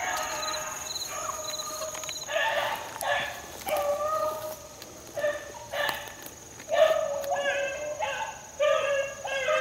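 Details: Beagle pups about four months old, out in the field in 2013 after a rabbit: choppy, repeated barks and bays in bursts about every second, with a man's voice calling and insects buzzing.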